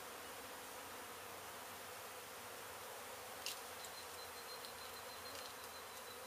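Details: Honey bees from a hive struck by construction crews while an abandoned home in Mission, Texas was being demolished, during their rescue and relocation; a steady, dense, unbroken buzzing hum fills the whole stretch, with one faint click midway.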